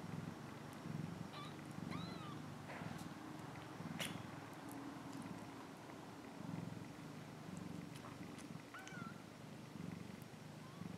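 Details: Cat purring in a low, even rumble with regular in-and-out breaths, while a distant bird chirps a few high notes and small clicks and taps sound nearby.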